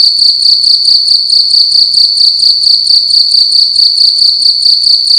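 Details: Indoors at night, a single cricket makes a loud, shrill pulsing chirp, a bright ringing tone repeated about twice a second without pause.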